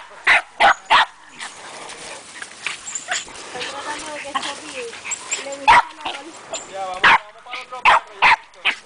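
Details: A Cairn Terrier named Spyro gives sharp, high yaps in quick bursts, with a person talking between them.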